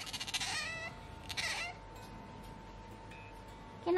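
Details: An Asian small-clawed otter living in a Tokyo home with dogs and cats gives two shrill, squealing calls about a second apart in reply to its name, and a person's voice starts at the end.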